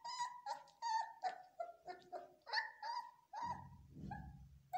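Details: Trainee Belgian Malinois puppies scream in a rapid sequence of high, nasal yelps and whines, followed near the end by a low rumbling noise under a last pair of cries.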